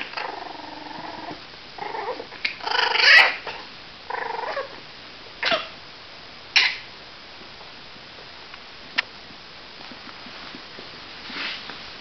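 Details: Cavalier King Charles Spaniel puppies, 37 days old, give a run of high, harmonic whines and squeaky yelps in the first five seconds, followed by a few short sharp yips and quieter snuffles indoors.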